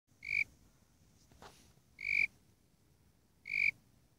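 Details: Warrilla imposter cricket (Eurygryllodes warrilla) calling: three short, pure, high-pitched chirps, each about a fifth of a second long, spaced roughly 1.7 seconds apart, over a faint low background rumble.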